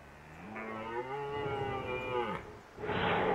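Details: Red deer roaring in autumn at Krasny Bor, Belarus, during fighting: a loud drawn-out groaning roar of about two seconds with a rich harmonic stack that wavers and drops slightly at the end, followed by a burst of broad rushing noise.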